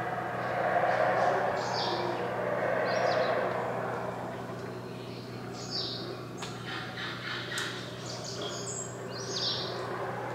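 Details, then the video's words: A howler monkey gives a terrifyingly deep, rasping roar that swells and fades over several seconds, with high, thin bird notes scattered above it. "Howler Monkey"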